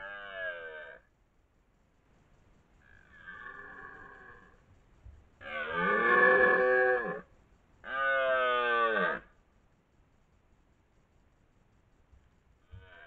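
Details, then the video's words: Dominant red deer stag, twelve points, bellowing in the 2023 rut at Lartigau, Milhas, France: a loud series of deep, grating roars, each lasting one to two seconds, separated by short pauses. "Brame du cerf"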